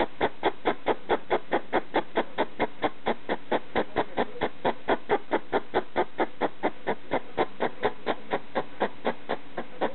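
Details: In the middle of the night a pet hedgehog barks at a slipper: even, rapid pulses, about two per second, forming a regular rhythmic chatter throughout.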